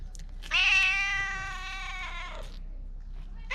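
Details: Loud plaintive meow from a stray cat in Okinawa's Bise Fukugi avenue, seemingly trying to communicate, GoPro 9 recording: one sustained, rich, even cry lasting about two seconds, then a new call beginning.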